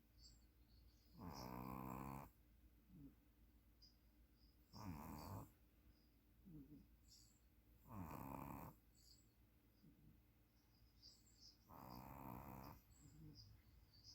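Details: Snores of a sleeping puppy, four grating harmonic bursts about every three to four seconds, the last one longer and softer, with quiet breaths in between.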